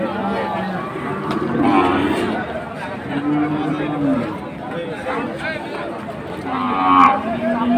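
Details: Low, level mooing from a cow with her calf at Amabari haat, Dinajpur, in late May, with a sustained lowing note lasting about a second under overlapping voices and market bustle.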